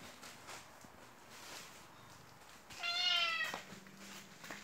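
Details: White Turkish Angora cat crying for attention while rolling over and over on the floor; a single clear meow about half a second long, rising then falling, with a soft rustle of movement before it.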